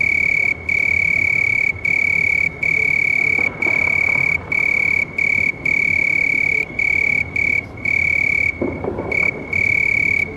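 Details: A house cricket (Acheta domesticus) chirps steadily, a high pure trill broken into bursts about four times a second.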